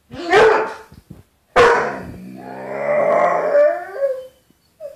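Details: Bruce the dog, at home, arguing with his reflection in a glass closet door: two rough growling barks followed by a long wavering howl that rises toward its end, then a short final yelp.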